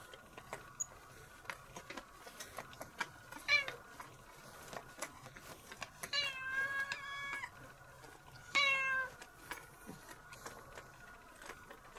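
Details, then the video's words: A cat named Nora being brushed indoors, growing bored by the lint roller stage; drawn-out, wavering meows sound around six and nine seconds, with scratchy brushing clicks throughout. "Funny brushing of the cat"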